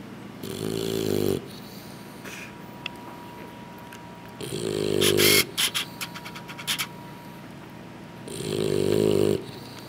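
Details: English Bulldog puppies asleep after a big feeding, snoring in three long droning breaths spaced about four seconds apart, with a faint steady tone in the background.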